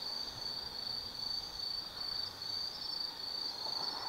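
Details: High, shimmering trill of autumn insects after dark in the woods of Tsukimi no Mori, Gifu Prefecture, Japan, pulsing evenly in short bursts over a faint low rumble.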